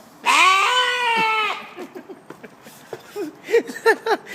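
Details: A goat makes a funny noise: one long, loud, wavering bleat, followed by a string of shorter, quieter bleats. Finding: Goat.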